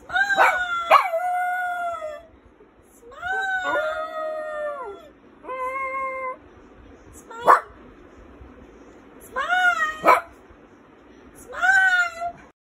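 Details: Brown male Lhasa Apso singing with his owner. Repeated drawn-out howls, each about a second long, rise and then drop in pitch, with short breaks between them. A few brief sharp yelps break up the wavering phrases.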